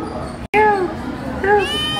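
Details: Turkish Angora kitten on its first visit to the vet, two short clear meows about one second apart, the first gently falling, with a woman's soothing voice and soft music in the background.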